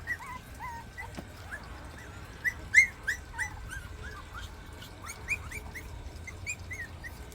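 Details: A litter of three rural puppies, 40 days old, keep whimpering as the biggest one begins climbing the stairs toward an offered treat. Soft, short, curling squeaks repeat several times a second over a faint background hum.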